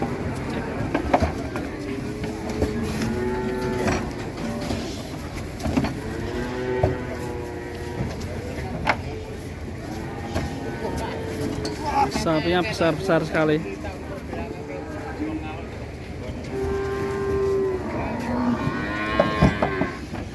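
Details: ['Fat cattle raging during loading onto a truck. Repeated low, harmonic moos carry through, mixed with men talking, engine rumble and occasional clanks and knocks.']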